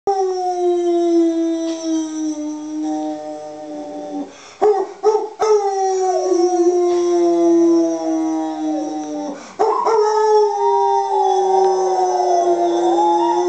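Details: Holly the pet dog howls in long, sustained, slightly falling notes, with a short break partway through where sharp knocks and clatter intrude. A lower, steady tone sounds alongside the howl in places.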